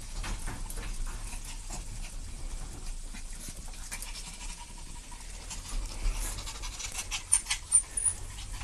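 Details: Two puppies playing together, breathing in steady, breathy, noisy panting that runs throughout, with a few sharper bursts of breath near the end.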